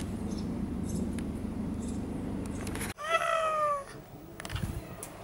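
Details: Red tabby cat, a very friendly unneutered male expanding his territory, being trapped for neutering. After about three seconds of loud low rumbling noise, the cat gives one clear meow that glides downward.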